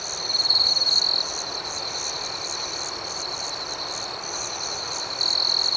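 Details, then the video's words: Crickets chirping at night: a sustained high-pitched trill, louder at the start and again at the end, with quick rhythmic pulses riding above the steady drone. "Soothing Cricket Sounds"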